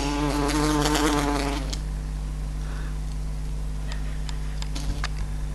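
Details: Large queen buff-tailed bumblebee trapped inside a house, struggling at a closed window; a strong droning buzz for under two seconds stops abruptly, followed by a low room hum and faint tapping clicks.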